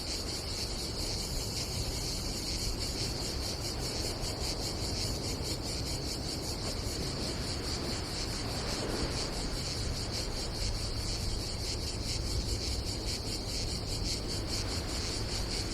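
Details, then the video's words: Croatian seaside campsite on a summer day, where cicadas keep up a continuous high rasping buzz with rapid rhythmic pulses, backed by a steady low roar of wind and sea and a brief rubbing noise near the middle. "nature cicadas sound"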